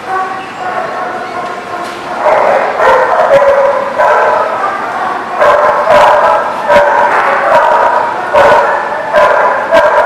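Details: Many dogs bark, yip and howl together continuously in a loud, overlapping chorus at the Barking Lot on 10/29/18. Sharp individual barks punctuate a steady wall of harmonic voices.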